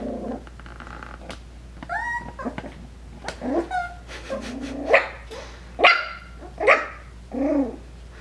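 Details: Five-week-old Coton de Tulear puppies calling indoors. Thin whistled whines give way to a run of sharp, high yapping barks, about one a second, growing louder toward the end, with a final wavering whimper.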